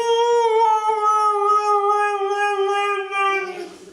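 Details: Female Siberian Husky, indoors after being groomed, singing: a long sustained howl with rich harmonics, holding steady then sliding slightly lower over about three and a half seconds before fading out.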